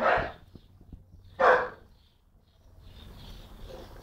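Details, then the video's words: Jock, a dog aged around 10-11 months, gives two loud, rough barks about a second apart while barking at birds and the recorder, followed by faint background noise. "Jock Barking"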